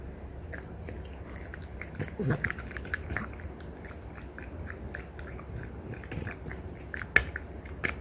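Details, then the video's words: Mother-and-daughter French Bulldogs, Ume aged three and Roku aged one and a half, crunch on deer antlers; rapid gritty gnawing with scattered louder cracks, one sharp snap near the end. "french bulldog フレンチブルドッグの親子がただ鹿の角を食べるだけの動画！"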